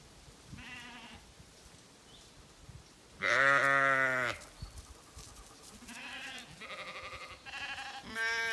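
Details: Zwartbles ewes, freshly shorn, bleating in midday heat on a County Kilkenny farm in Ireland despite having water; a loud, rich harmonic bleat is followed by a run of shorter, overlapping bleats from several sheep.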